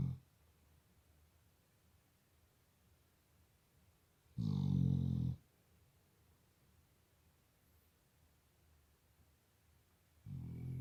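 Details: Labrador Retriever snoring while asleep indoors, sometimes compared to a drunk man: three deep, rumbling, low snores, one at the start, one around the middle lasting about a second, one at the end, with quiet room hush between.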